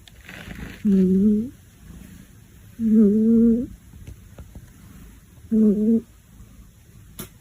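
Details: A domestic cat snores so loudly that a kitten lying beside it cannot sleep and stares open-eyed. Three loud, hoarse, droning tones, each under a second long, come at breath intervals about two to three seconds apart, in a quiet indoor room.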